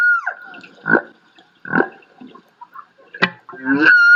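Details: Humpback whale song from Monterey Bay, California, sung at the water: a long held whistled tone broken by gruff grunts, a sharp shriek and a rising cry.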